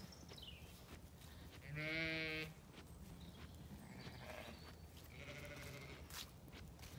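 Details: A Zwartbles ewe in a County Kilkenny paddock, turned out with lambs, gives one clear, steady bleat with bright harmonics, followed by a fainter distant bleat and a high, descending whistle-like sound at the start.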